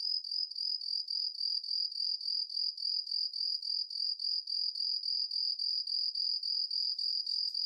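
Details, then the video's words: Yamato-hibari cricket (Homoeoxipha obliterata) singing: a high, thin, bright chirping trill broken into short, evenly spaced pulses, about three to four per second, steady throughout, with no other sounds. "巧みにテンポを変える ヤマトヒバリの鳴き声"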